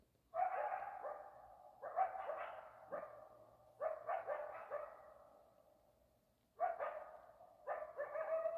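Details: Coyotes in Arizona yip and bark in rapid clusters with short howling tails, four bursts separated by brief pauses.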